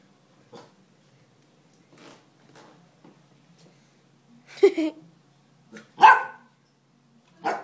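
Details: An excited Basset Hound puppy, about 8 or 9 weeks old, barks indoors in May or June 2011. A few soft sounds come first, then three sharp, high yipping barks spaced about a second apart.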